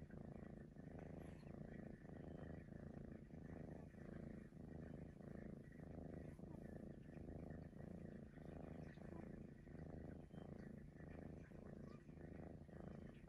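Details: A Maine Coon, a domestic cat described as whistling, purrs for over thirteen seconds, a dense low rumble pulsing evenly with its breathing, close to once a second, with soft nasal overtones riding on top.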